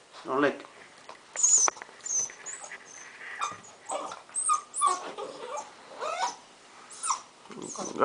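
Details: Blue pit bull puppy named Jah, seven weeks old, whimpering indoors in short high whines and squeaks, some with thin whistled tones, repeated through the clip while a person talks and urges it on.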